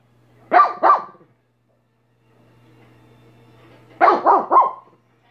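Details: Dog named Minnie giving a quick double bark, then after a quiet pause a rapid triple bark, sharp and loud against a low constant hum.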